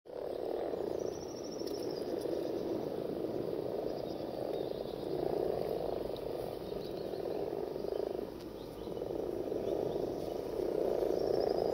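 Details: Common frogs (Rana temporaria) gathered for mass breeding; a dense, continuous low purring and croaking chorus from many frogs swells and dips throughout, with faint thin high calls drifting above.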